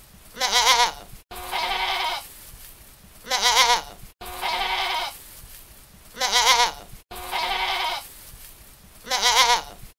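A young goat bleats repeatedly, alternating high quavering cries with flatter, hoarser ones.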